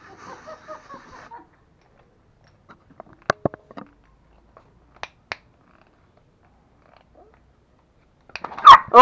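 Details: Toy Pomeranian puppies Pomo and Pomy in Kathmandu, Nepal, gnawing a real bone for the first time: a soft, wavering harmonic whine, then scattered sharp clicks of teeth on bone and a louder burst at the end.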